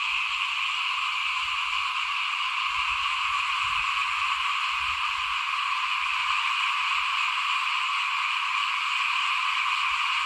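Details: Many frogs croak in front of a house during rice sowing before the 2021 planting. Their overlapping shrill, buzzy calls form one even, unbroken chorus, with faint low rumbles underneath.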